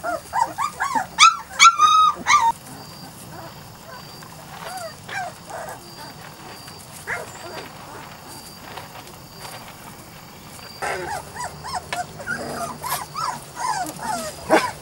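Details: Litter of Weimaraner and Vizsla cross puppies aged 3-4 weeks: clustered high-pitched whines and yelps in busy bursts at the start, then a quieter stretch with scattered cries before another run of squeals near the end.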